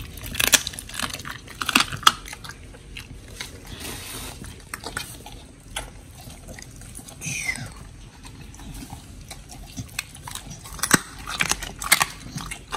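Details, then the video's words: Pit bulls Oli and Nommy eating raw meat and fish, filmed October 2023: sharp bone-crunching snaps come in spaced bursts, softer smacking between them, and a brief sliding squeak partway through. "สุนัขพิทบูล🥩กินอาหารสดดิบ🐟[ASMR]MUKBANG 犬が生の肉を食べる[咀嚼音]"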